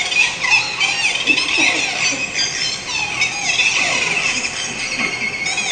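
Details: Pacific white-sided dolphins, nicknamed "killer whales on helium", give frantic, high-pitched squeals and whistles that tumble over one another, an acoustic display accompanying a visual one.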